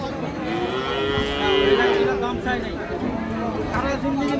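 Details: Domestic cows with calves at a cattle market in Dinajpur, Bangladesh, Ambari haat; one long drawn-out moo rises and holds for about two seconds over a busy background of crowd chatter and voices.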